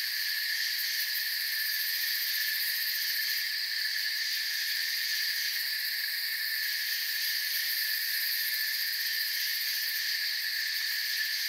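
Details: Forest crickets chirping as a constant wall of high, shimmering buzz, several overlapping bands holding steady, with slight swells in loudness and nothing else distinct.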